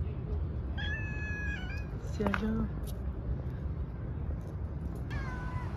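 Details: Female domestic cat meowing: a long, level, harmonic-rich meow lasting about a second, then a short lower cry with a brief rise, and a falling meow near the end, over a steady low hum.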